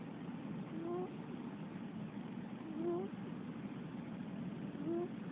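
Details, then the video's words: Female Russian Blue cat snoring while asleep: short, rising, whistle-like tones about every two seconds, three in all, over a steady hissing background. "猫のいびき ロシアン"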